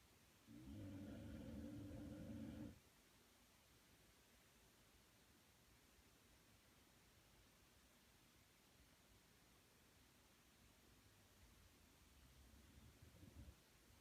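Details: Sleeping dog named Punchi gives a single low, raspy snore of about two seconds near the start. A long quiet stretch follows, ending with a fainter, softer rumble.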